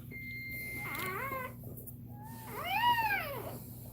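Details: Cane Corso in a labour setting gives a thin, steady whine that falls into a short cry, then a fuller arched wail rising and dropping away, against a steady low hum.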